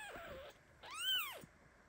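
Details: Kitten crying out under mother cat Basi, who lies down on top of him while he shakes in his sleep: a faint wavering squeak followed by one clear arched meow that rises and falls.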